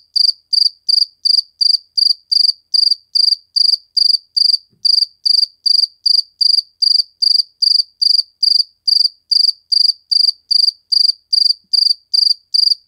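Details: Steady cricket song from a single insect shown in slow motion: crisp, high, buzzy chirps repeated evenly about two and a half times per second for the whole stretch, with a clean, quiet background.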